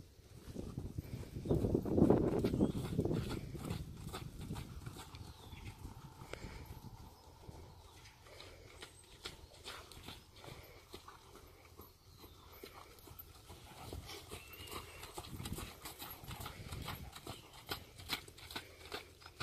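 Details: Friesian horse Sierd, imported to North America, moving with regular clip-clop footfalls, crisp repeated knocks nearly three per second, a louder burst early on, then an even, quieter trot of steps to the end.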